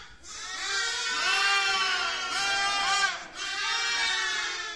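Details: Baby lamb bleating: one long, high, wavering harmonic bleat lasting about three seconds, then a second bleat begins after a short break. No other sounds stand out.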